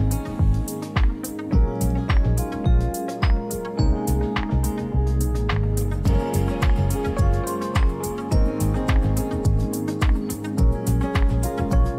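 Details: Rhythmic background music with strong bass and guitar-like notes throughout, no animal voice audible.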